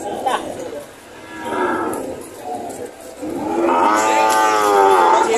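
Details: Cattle at a livestock market in Lemery, Batangas, Philippines, on June 13, 2025, during a sale of breeding cows and heifers. Softer lowing is followed by a long, strong moo that swells and holds, with people talking nearby.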